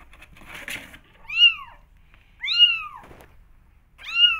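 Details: Kittens eager to explore, meowing to go outside: three clear arched meows spaced about a second apart, each rising then dropping, after a brief rustle at the start.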